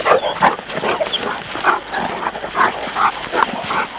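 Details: Short, sharp yips and squealing barks from Presa Canario and Neapolitan Mastiff pups at play, coming in quick ragged bursts, some thin and high-pitched.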